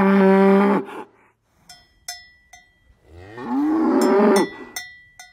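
A cow gives two deep, drawn-out moos, the second one swelling and rising, with cowbells clanking.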